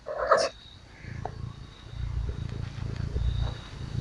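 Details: Small pet cat purring while being petted and cuddled: a low, steady rumbling purr throbbing continuously through most of the recording, after a brief soft voice at the start.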